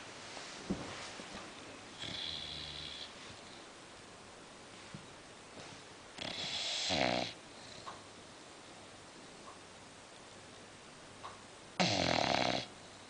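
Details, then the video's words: Sleeping female English Bulldog snoring, with short harsh rasping snores at about two, seven and twelve seconds separated by long quiet stretches of breathing. "Funny English Bulldog Sleeping, SNORING and we Tried to Wake her"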